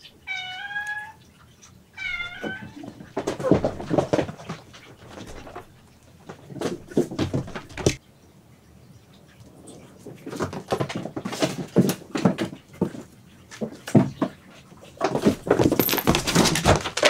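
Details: Cat in an indoor cat room housing rescued cats and kittens, giving two clear, tonal meows that bend downward, followed by thumps, scuffles and running footfalls as cats chase each other.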